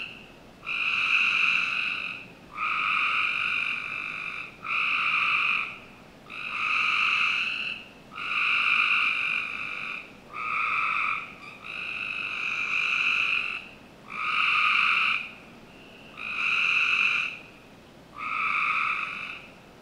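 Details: Frogs calling on a summer night in a Northern Virginia backyard: long buzzy trills about a second and a half each, with two bright bands, repeating roughly every two seconds with short gaps, over steady faint background hiss.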